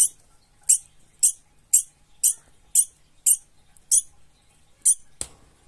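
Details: Frightened degu scolding: a string of about ten sharp, very high squeaks, roughly two per second, each short and piercing, ending in a louder broadband click; quiet indoor background.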